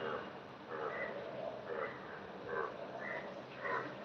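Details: Frogs croak in short, throaty bursts that repeat almost every second over a steady hiss of heavy rain and standing water.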